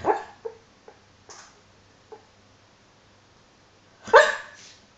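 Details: Dreaming in her sleep, the dog Hollie gives a muffled woof, then faint small huffs, and after a quiet pause a louder breathy woof.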